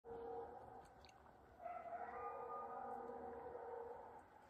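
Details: Neighbourhood coyotes howl in long, steady, overlapping tones that rise and swell together partway through, in a howling and barking exchange with two German Shepherd Dogs.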